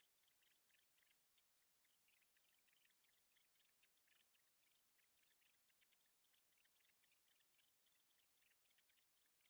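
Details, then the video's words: Continuous shrill buzzing of a meadow katydid, listed in a 2020 Korean insect sound collection, unbroken for the whole stretch, with dense quick ticks flickering under the high steady tone. "쌕쌔기, 여러번 듣기, 곤충소리"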